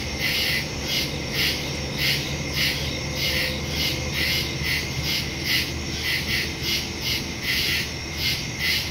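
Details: Crickets chirping at night in woods, recorded September 2, 2023, on a Samsung Galaxy S22 Ultra phone with a Shure MV88+ stereo microphone: dense, high, pulsing chirps come in overlapping bursts roughly once per second over a steady insect hum.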